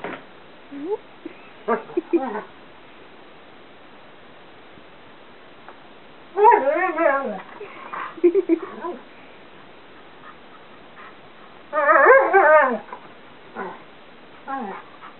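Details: Indoors in a bedroom, a 2.5-year-old Karelian Bear Dog/Alaskan Malamute cross talks during play, giving a series of short whines, wavering yodel-like howls and yips in bursts separated by pauses, with a person's voice in between.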